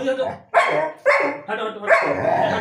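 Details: Pet dog vocalizing back at its owner in a mock argument, a run of drawn-out, moaning howl-like yowls in four bursts with rich harmonics, separated by brief pauses.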